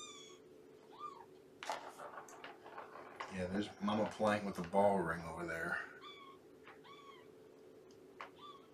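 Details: Shelby, a two-year-old mother cat rescued by Purrfect Pals, meows indoors on a morning visit: a run of short, bent mews, some faint, spread across the clip, with a person talking over the middle stretch.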